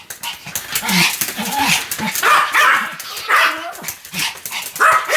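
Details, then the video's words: Pomeranian named Sam yapping nonstop, each bark short and high with a slight rising-falling bend, spaced roughly half a second apart; a human voice may be faintly mixed in. "犬の鳴き声 ポメラニアン サムちゃんの連続吠え集"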